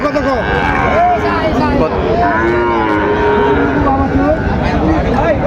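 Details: Sahiwal bull calves at Raniganj cattle market in Dinajpur, Bangladesh, on 22 January, during trading at the market's start; short arched moos rise and fall repeatedly amid a dense crowd of voices and constant market noise.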